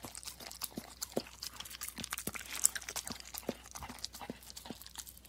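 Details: Close-up dog tongue working over a plate, hissy wet slurps mixed with bright clicking ticks in a busy, irregular rhythm, indoors.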